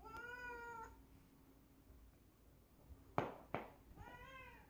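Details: Domestic cat with two legs, indoors; two drawn-out meows, one at the start and one near the end, with sharp thumps between them.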